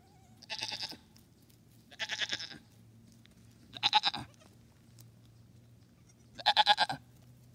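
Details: Young goat on a farm, born days earlier: four loud, quavering bleats spaced about every two seconds, each wavering and nasal with a pulsed tremolo, over a low steady hum.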